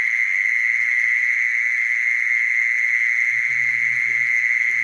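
A mole cricket gives a steady, unbroken churring trill, pitched fairly high and perfectly even in tone.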